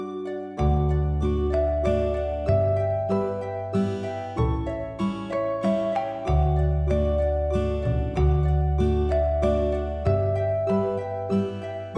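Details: Gentle plucked harp-like background music fills the recording, with no animal sound.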